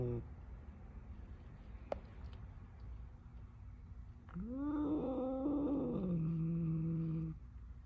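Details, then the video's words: Angry cat, quiet at first, then a rising, wavering yowl begins after four seconds. It sustains for about three seconds and sinks to a low moan at the end. "Angry Cat"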